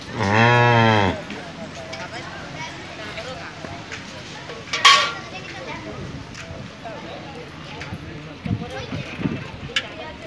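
A cow gives one deep, rich moo that swells and fades within about a second.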